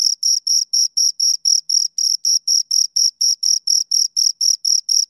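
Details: Two crickets chirping: a steady series of short, high, pure pulses, about four per second, each with a fainter overtone above, on an otherwise silent background.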